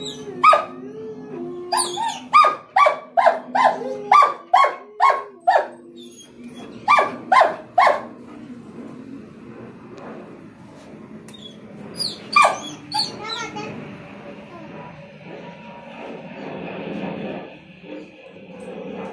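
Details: German Shepherd Rottweiler mix dog excited about going outside for a doctor visit: a rapid series of loud barks in clusters over the first eight seconds, then a lone bark amid rustling and background noise.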